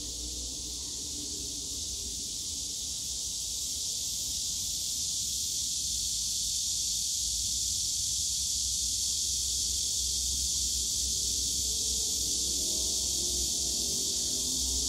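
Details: Summer-day cicada chorus from the bamboo grove at Yongsan Family Park: an unbroken shrill hiss-like buzz that slowly grows louder, with a deep background hum and faint lower tones from the park.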